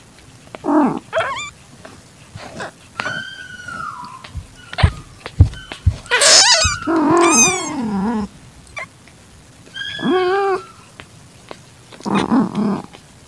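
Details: Calitabby cat in heat taking in a young calico kitten, evening of 8 September 2021. Drawn-out moaning cries mix with higher, bending mews and a few sharp clicks and knocks between calls.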